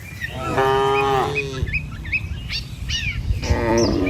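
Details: Herded tame village cattle heading over a wooden bridge to grassland: a short moo, then a pause filled with bird chirps, then a second moo beginning near the end.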